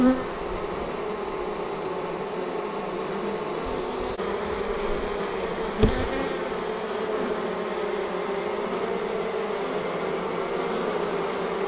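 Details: A honey bee swarm pouring out of its hive gives an even, sustained drone of many wings, with a single sharp click near the middle and an otherwise unchanging hum.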